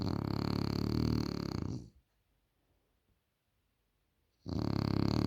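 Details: Loud French Bulldog snore: a harsh, fluttering rattle of nearly two seconds, a pause of over two seconds, then the next snore starting.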